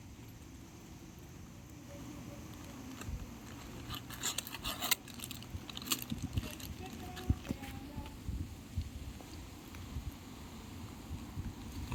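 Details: Low rumbling background noise with scattered clicks and clinks, and brief snatches of speech; no animal sound stands out.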